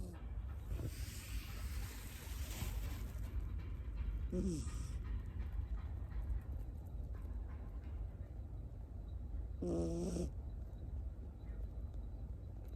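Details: Tamago, a Miniature Schnauzer puppy born 9 October 2021 in Nago, Okinawa, living in Osaka, sleeps on a lap; two brief snores with harmonic, nasal tones at about four and ten seconds sit over a steady low rumble.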